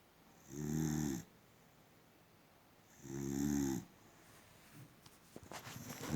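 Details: Gorgeous, a sleeping female boxer dog, gives two long, low, buzzing snores about two and a half seconds apart, followed by rustling and shuffling noises.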